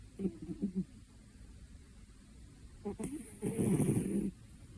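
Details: A two-year-old cat asleep, snoring: a short low rasping snore near the start, a pause of quiet breathing, then a louder, longer grating snore toward the end with a faint airy hiss above it.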